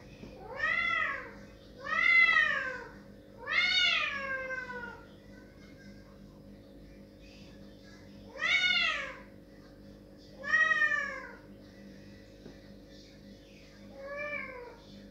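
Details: Domestic cat crying loudly at a closed door, wanting it opened: six long, wailing meows with rich harmonics, each about a second long, rising then falling in pitch, spaced roughly every one to two seconds with a low steady hum beneath.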